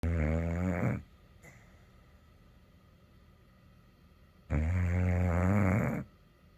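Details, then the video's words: Kimber, a pet dog, snoring: two deep, rattling, harmonic-rich snores, the first about one second long and the second about a second and a half, separated by a quiet gap of roughly three and a half seconds. "Kimber Snoring and then she busts me"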